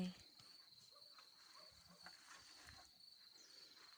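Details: On a hot day in a garden, crickets in a neighbour's sown alfalfa and hay grass sing a steady, high-pitched, unbroken trill; they were first heard the day before.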